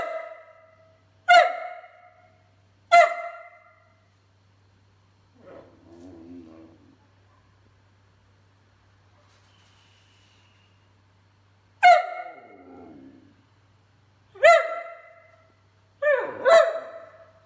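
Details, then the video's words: A whippet vocalizing in short, ringing barks, two early and three late, with a low mumbling, talking-like grumble in the quiet middle stretch; indoor setting with little else heard. "Whippet Talking, Speaking, Barking and Burping"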